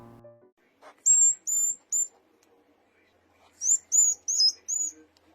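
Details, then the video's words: A baby hedgehog only a few days old calls for its mother with sharp, loud, high, whistled peeps, mostly in quick pairs and trios. "이 소리는 태어난지 몇일 안된 아기 고슴도치가 엄마를 부르는 소리 라고 해요"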